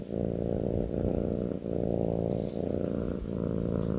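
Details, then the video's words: Kitten purring on a person's lap, a steady low rumbling purr broken into long strokes with brief dips roughly every 0.7 to 0.9 seconds, faint light rustling above. "ASMR kitten purring on my lap"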